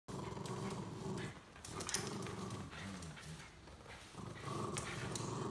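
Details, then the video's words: Welsh Terrier growling while pulling another dog for a ride, a low rumbling growl in bursts of about a second with brief pauses, plus scuffling and clattering noises throughout. "Strong Welsh Terrier"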